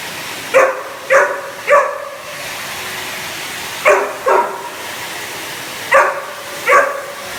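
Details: Reacting to a hoover, a Cane Corso barks in short groups: three barks, a gap, two barks, another gap, then two more, with a constant droning hum underneath.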